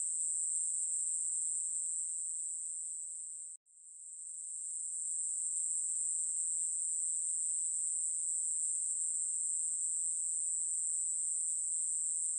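A katydid sings a continuous, high, hissing buzz that barely wavers.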